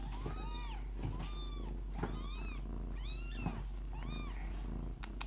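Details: Proud Lykoi mother cat purring beside her litter. A continuous deep purr underlies a run of about six arching, high kitten mews spaced about a second apart, with a sharp click near the end.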